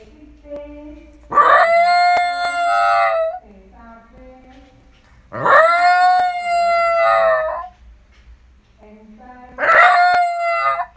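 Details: Shiba Inu at home howling three times, each a drawn-out ringing wail of about two seconds that swoops up then holds level, separated by quiet pauses with soft low murmurs between.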